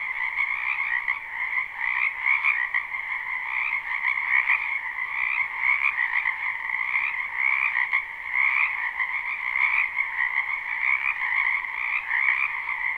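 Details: Live recording of numerous frogs in a spring wetland behind a house: a continuous, buzzing chorus of overlapping croaks holding steady throughout, gently swelling and fading in loudness.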